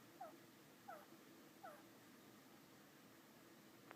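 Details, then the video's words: Pet turtle making an unexplained noise: three short, high, downward-sliding squeaks, about 0.7 seconds apart, then quiet, over a steady low indoor hum. "Turtle making noise???"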